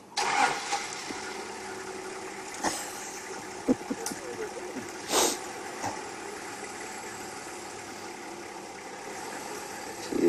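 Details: A vehicle engine idles and revs under occasional speech and clicks, with no animal calls standing out.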